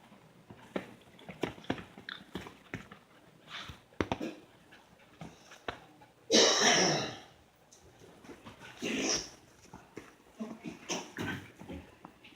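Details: Five pet dogs indoors in a small room, crowding and piling onto their owner for attention; scattered short whines, snuffles and movement noises, with two louder drawn-out breathy bursts midway.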